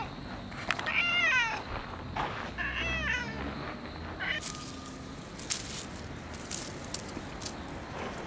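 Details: Cats outdoors after an October 2014 typhoon; two short, rising-falling meows in the first three seconds, then soft scuffing and rustle with scattered clicks until the end.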